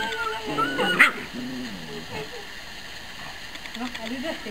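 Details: Six-week-old Rottweiler puppies, meeting strangers and a child for the first time just before sleep, whimper in thin, wavering whines that slide up and down, with one sharp yelp near the start, over human voices.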